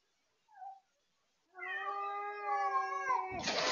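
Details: House cat confronting a feral cat at a deck window, a fight instigated by the visitor: a brief short mew, a pause, then a long sustained harmonic yowl holding steady with slight wavering, ending in a harsh noisy hiss-like burst.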